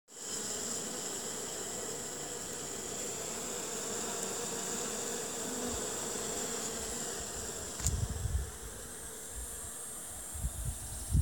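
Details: Honey bees at a hive newly settled on a family estate in Jouques, Provence, France, on 16 June 2017: a steady, dense droning hum with a thin high whine, then a few brief thumps near the end.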